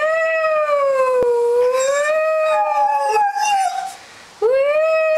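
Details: Doberman howling at sirens, its voice described as changing: a sustained, wavering tonal howl that dips and rises smoothly, with a brief higher overlapping note before a short break and a fresh rising howl.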